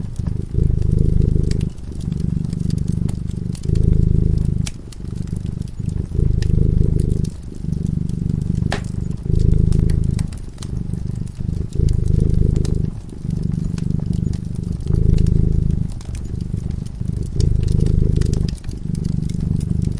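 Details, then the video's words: A cat drifts into slumber in front of a crackling fireplace, purring continuously. The deep, buzzing purr pulses in repeated one-to-two-second waves with short pauses, and the fire's snaps and crackles run alongside it. "Purring cat"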